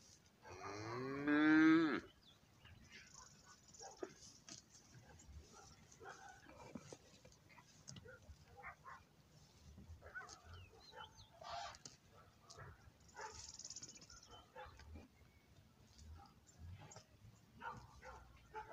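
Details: In a cattle herd with calves, cows and bulls, a cow gives one loud, deep, drawn-out moo that swells and bends upward over about two seconds, followed by faint rustles, knocks and distant farmyard noises.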